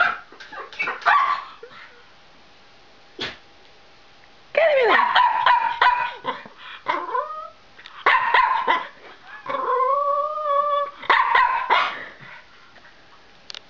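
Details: Pet dog indoors playing with a mirror and making funny noises: bursts of short yips and barks alternate with drawn-out, wavering whines that rise and fall, separated by brief quiet pauses.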